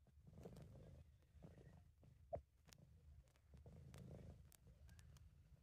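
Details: British Shorthair cat purring in contentment, amateur recording; faint low rumble in slow pulses, with one sharp click partway through and a few light ticks.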